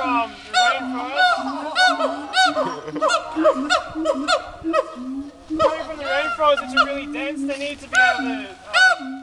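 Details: Two siamangs in Dubbo zoo, showing off, call together in a busy, overlapping chorus of arched ringing barks and lower wavering hoots, loud peaks coming every second or so.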